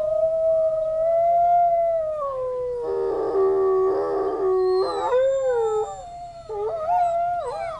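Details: Captive wolves at a zoo, set off by sirens in the distance, give long overlapping howls that slide downward, with rougher, rasping notes in the middle and short broken howls toward the close.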